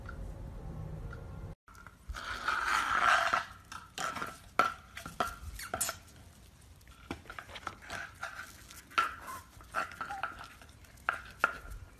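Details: Indoor clatter of dishes, cutlery and scraping with scattered knocks and thumps, no animal calls.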